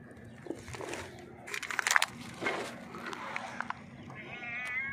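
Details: A hungry stray cat sitting on a rock meows loudly and repeatedly, asking for food.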